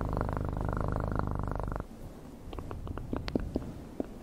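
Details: Domestic cat purring up close in an ASMR-style recording. A steady, dense, low rumbling purr runs for under two seconds and then stops. Scattered sharp clicks and soft tapping noises follow in a quieter indoor setting.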